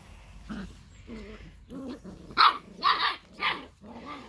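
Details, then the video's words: Litter of seven Labrador Retriever puppies; a young dog gives a run of small, rough barks and growly yaps about twice a second, rising to a louder, harsher burst in the middle before tailing off. "Mittendrin bei den 7 Labrador Welpen Rabauken."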